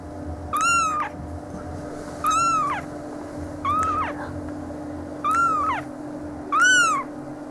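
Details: Siamese and Oriental kittens at 11 days old give five loud, clear mews, each a short rising-then-falling squeal with bright harmonics, spaced roughly every one and a half seconds over a faint constant hum.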